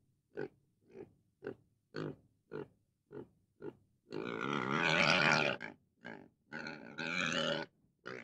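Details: Pig grunting in short, regular snorts about every half second, breaking into a long, loud, harsh squeal lasting well over a second, followed by a few more grunts and a second drawn-out squeal before a last grunt.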